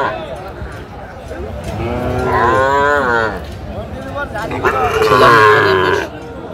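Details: Sahiwal bull calves at a cattle market in Madaripur, Bangladesh, 30 November 2024: a drawn-out wavering moo rising and falling over about two seconds, then a second hoarser, louder moo, with market chatter behind.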